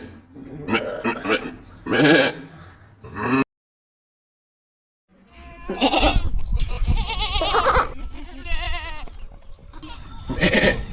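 Loud goat screams come in harsh, quavering bleats, each wobbling in pitch with a rough, voice-like tone. After a short silent break, more overlapping bleats follow, some strongly trembling and drawn out.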